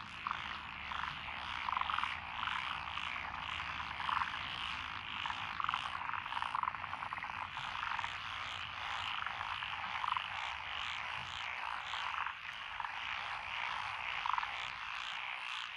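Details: Lotus rice paddies in Echizen, Fukui Prefecture, recorded 12 June 2021: a thick chorus of tree frogs, pond frogs, wrinkled frogs and green tree frogs, steady rattling croaks layered together, brighter clipped notes popping out every couple of seconds.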